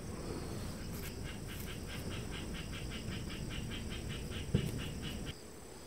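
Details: Affectionate calico cat giving a continuous low, throbbing purr, with a faint series of evenly spaced high clicks throughout and a brief soft knock near the end.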